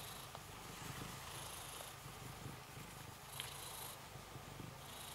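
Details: Shelter cat in an isolation room purring while being stroked: a continuous low, rhythmic rumble with faint hiss above.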